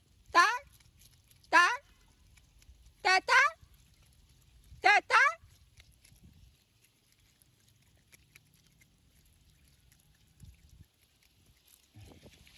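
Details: Four sharp harmonic squeaks from an otter, bent and whistle-like, the last two doubled into quick pairs, all within about five seconds, followed by several seconds of near silence with soft low background noise.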